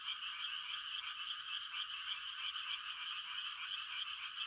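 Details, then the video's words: Frogs giving mating calls on a quiet countryside night in rice-planting season: a dense, unbroken chorus of overlapping high trills forms a steady shimmering wall of sound with no pauses. "The sound of frogs on a quiet country night"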